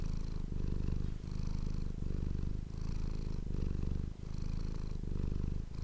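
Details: Domestic cat purring close to an ASMR microphone indoors: a steady low rumbling buzz, swelling and easing in breath cycles roughly every three-quarters of a second, with brief quiet gaps between.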